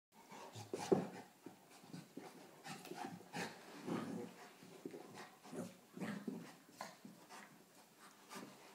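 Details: A 4-month-old Rottweiler cross puppy play-fighting indoors with a 3-year-old St Bernard: short rough grunts, growls and pants in quick irregular bursts, with scuffling between them.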